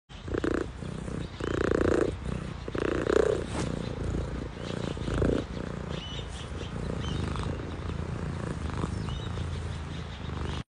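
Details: A cat purring in low, rumbling bursts about a second long during the first five seconds, then a steadier, fainter rumble beneath a faint background hiss.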